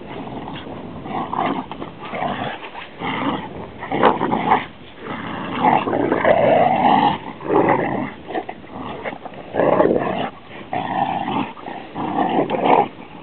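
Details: A pet Rhodesian Ridgeback growls in loud, throaty rumbling phrases. Each lasts one to two seconds and is separated by brief pauses. Some rise into a moaning, whining tone near the middle.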